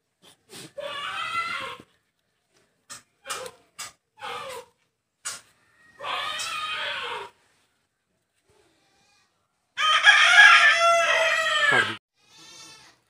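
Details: Rescued newborn goat kid on a goat farm calls in short bursts: three separate wavering bleats, the last the longest and loudest, with brief clicks and handling noises in between.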